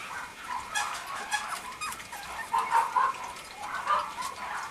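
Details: Young male Mame Shiba Inu, a small Japanese dog breed, from a breeder's kennel: a run of brief squeaky whimpers and yelps, clustered and irregular, louder toward the middle, over low room hiss.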